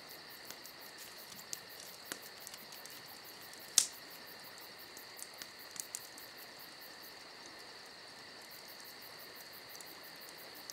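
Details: Summer night crickets keep up a continuous, unwavering high trill, while a crackling campfire adds scattered soft ticks and one loud pop.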